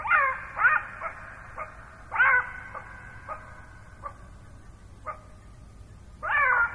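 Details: Southern African black-backed jackal alarm calls: sharp, yelping barks with a falling whine, given in short bursts about every one to two seconds, with faint echoing repeats between.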